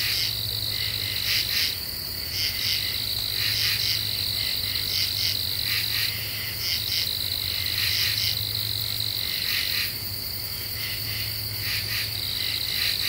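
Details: . Night chorus of common true katydids in eastern U.S. deciduous forest, recorded July 2013 once the cicadas fell silent. Rasping pulse groups rise and fall from several singers, with a continuous shrill insect tone and a faint low drone.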